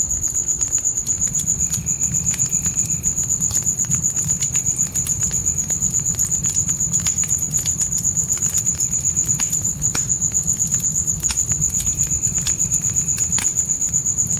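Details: Night crickets beside a campfire in a tent by a dark forest: a steady, very high pulsed trill beating about four times a second throughout, with sharp fire crackles, a low roaring rumble and a fainter second insect tone coming and going.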